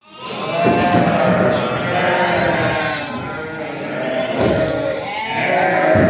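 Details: Herd of sheep with lambs being prepared, bleating overlapping in many voices, wavering tonal calls over a continuous crowd murmur with no pauses.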